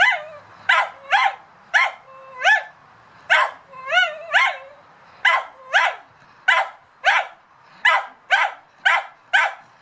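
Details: Barking at a cat, a dog fires off regular, piercing barks, about two each second, a few stretched into wavering yelping whines midway, keeping a fairly even rhythm for nearly ten seconds.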